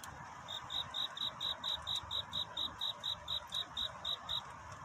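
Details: At night, a cricket sings its courtship song, looking for love: after a quiet start, clear high-pitched chirps pulse rhythmically about three to four per second, each one crisp and separate, above a low background hum.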